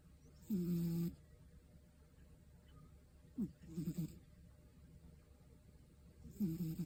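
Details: Scottish Fold cat snoring through a relaxed afternoon nap; three soft, low, tonal snores with faint harmonics, each about half a second long and spaced roughly three seconds apart, in an otherwise quiet room.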